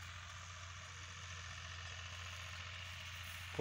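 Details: Steady low engine hum of an idling vehicle outdoors in a rural setting, with no animal voice heard.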